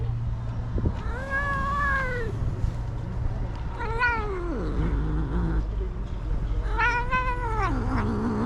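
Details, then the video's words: Stray tabby tom cat meowing while being touched: three long, drawn-out, wavering meows at roughly three-second intervals, the middle one bending sharply downward, over a steady low engine-like hum. "Stray Cat That Makes Interesting Sounds When TOUCHED"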